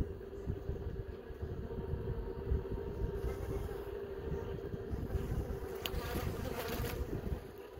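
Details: Honey bees in a hive, several young bees emerging from their brood cells during a hive inspection; a steady low droning hum runs throughout, with a faint higher tone above it and brief scraping handling noises near the end.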